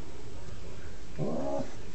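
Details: Romeo, an eight-year-old domestic cat, growls at the younger cat Jasper in a house; a low rumbling stretch swells into a brief, tonal, rising wail near the end, over steady background hiss.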